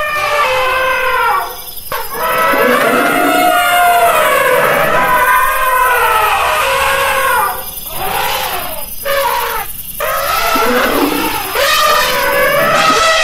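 An elephant trumpets loudly, a brassy, wavering blare that rises and falls in long bursts.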